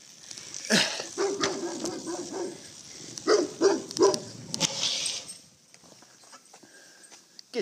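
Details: A huge dog on a street barks while chasing a cyclist, recorded from a phone mounted on the bike. A man's voice comes first, then a run of three or four sharp barks, then quieter scraping noise.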